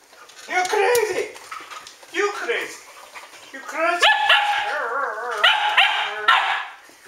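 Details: Standard Poodles including Pearl and Joury barking and yodelling at home around midnight, August 12, 2014: wavering, rising howl-like yips and barks in long strings, mixed with a woman scolding the dogs.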